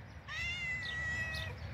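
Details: A pet cat at feeding time, offered chicken liver and pasta, gives one long, high, steady meow lasting over a second with a slight rise then gentle fall, with a person speaking Turkish softly around it.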